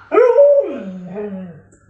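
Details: Pet Alaskan Malamute indoors giving a short vocal howl that rises briefly, holds, then slides down into a lower falling moan over about one and a half seconds; a person talks nearby.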